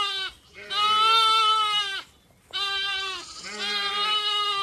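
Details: Zwartbles sheep on a regenerative farm in County Kilkenny, Ireland, ewes and lambs calling to find each other after a gate swung shut, evening in a blooming orchard at sunset; two long, loud, quavering bleats, each over a second, separated by a brief pause.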